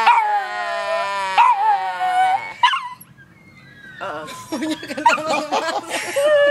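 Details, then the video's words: Chihuahua dog 'singing': long, high, wavering howls rich in overtones, several drawn-out notes sliding up and down, then a short lull before a busier stretch of yelping, warbling howls, with a person's voice nearby. "Chihuahua singing funny"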